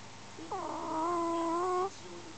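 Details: Sleeping Smooth Chihuahua snoring in the dark: one drawn-out, nasal whistling tone with a steady pitch, rising slightly near its end and lasting over a second. A quiet room surrounds it.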